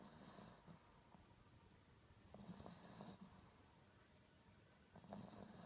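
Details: Papillon dog sleeping soundly and snoring: rough, breathy rasps that repeat about every two to three seconds, with a low rumbling base and hissy upper noise. The room is otherwise quiet.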